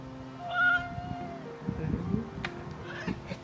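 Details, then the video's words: A cat comes out to greet its owner indoors. It gives a short harmonic meow that rises and falls in under a second. Faint speech and soft background music follow, along with a few clicks and rustles. "집사를 마중 나오는 고양이"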